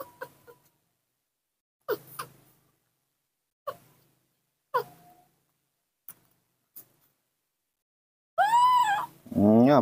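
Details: A newborn baby monkey, hungry for milk and calling out, gives short squeaks, then a long run of high, wavering, harmonic cries.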